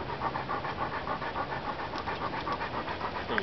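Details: Bernese Mountain Dog named Trigger, playing with friends, panting hard: quick, breathy rhythmic pants of about three to four per second, steady and even for the whole stretch, with little else audible.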